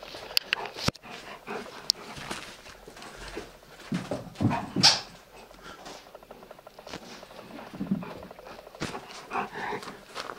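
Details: Old English Sheepdog Pickwick at play with his toy Quackers: scattered huffs, snorts and scuffles, with one sharper bark-like burst near the middle and sporadic clicks throughout.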